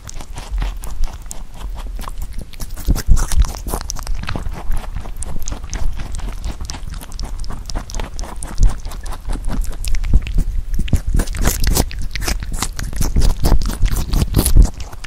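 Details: A rabbit chewing Korean melon, with rapid soft crunches and wet clicks in quick bursts.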